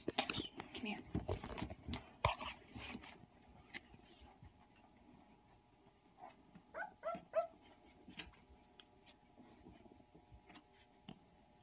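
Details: Sixteen-day-old puppies giving short, high squeaky whimpers in brief clusters of rising and falling tones, with human speech and rustling handling noise throughout.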